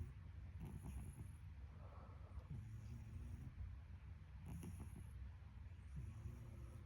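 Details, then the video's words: A domestic cat snoring, dated 12 March 26: soft, low rumbling breaths with a faint airy hiss on each, recurring roughly every two seconds against a steady low background hum. "Cat snoring"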